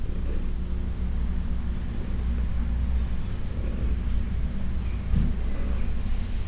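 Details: Low, steady purring from Heidi, a 14-year-old adopted cat, during a massage session; a constant rumble with breathy surges about once a second and a soft bump near the end.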